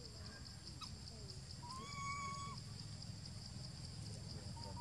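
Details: Jinx, a baby monkey thought to be hungry, gives a sustained, level whine of almost a second with clear overtones, set against constant low rumble and a steady high-pitched hiss.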